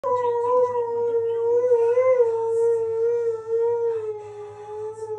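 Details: A male Siberian Husky lying in his beanbag sings one drawn-out, tuneful, mid-pitched howl. The pitch stays fairly even with slight rises and dips and never breaks, over a faint low hum.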